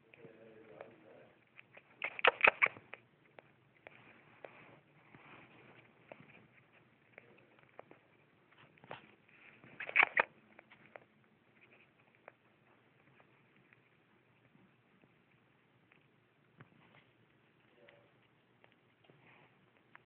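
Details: Pet rat, a 12-week-old male from a pet store, suspected of mycoplasma respiratory infection and on antibiotics, sneezing and coughing: two sharp clustered bursts near 2 and 10 seconds, with faint snuffling noises between them in a quiet room.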